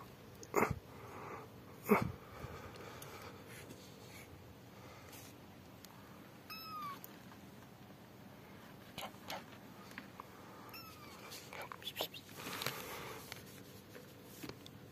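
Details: Rescued yellow mother cat Amarilla with her newborn kittens indoors; a few short faint meows, two louder sharp cries near the start, then thin high rising squeaks scattered through a quiet room.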